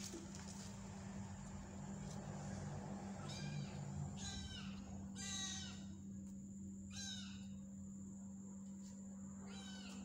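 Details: Small stray kitten adopted from the street at night, lively and playful, giving a series of high, harmonic mews in short bursts around the middle of the recording, over a steady low electrical hum with faint background voices.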